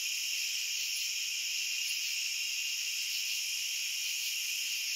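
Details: Continuous high cricket trilling recorded as sleep ambience, several pitch layers blending into one even shimmer, with a couple of brief faint clicks near the start.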